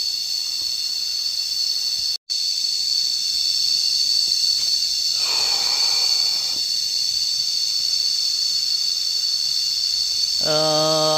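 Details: Cicadas heard while lying outdoors in nature: a dense, steady, high-pitched buzzing drone runs unbroken through the whole recording, with a momentary cut near the start, a soft rustling midway, and a brief low tonal hum at the end.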